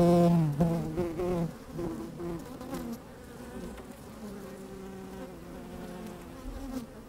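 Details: Honey bees busy at work inside an open hive on a fine, sunny day, microphone slid down among them; loud layered droning buzz with wavering tones that fades to a steadier, quieter hum, plus light wind.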